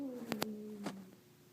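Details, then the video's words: Domestic cat giving one drawn-out, slightly descending meow lasting about a second, with a few sharp clicks or taps over it, in a quiet indoor setting. "Funny Cat Sounds"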